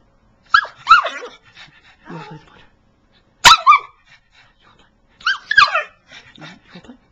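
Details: Excited pet pug vocalizing to ask for play with a laser pointer: three clusters of loud, woofy, wavering howl-barks, each ending in softer grumbles, in a quiet indoor room.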